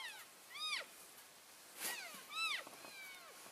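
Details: Elk keeping contact within a moving herd on February 3, 2012, as groups shift from one grazing area to another: two faint, short, high chirping mews a couple of seconds apart over a steady hiss.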